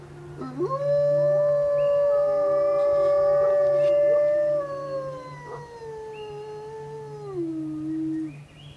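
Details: Wolves howling at the bottom of Grouse Mountain after a car alarm set them off; long sustained howls hold steady then slide downward, several voices overlapping in layered tones, with a constant low hum beneath.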